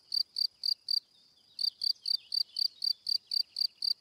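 A cricket chirps in quick, even pulses, a bright ringing trill repeated about four times a second.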